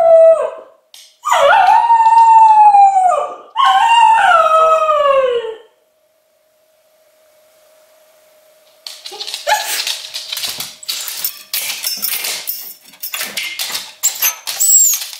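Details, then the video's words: Luna, an English Cocker Spaniel in Berlin, home alone in acute separation anxiety during the lockdown. Two long arched howls rise and fall, a quiet pause with hum follows, then a rapid burst of scratchy barks and whimpers. "바이러스로 다시 찾아온 강아지 코카스파니엘 분리불안"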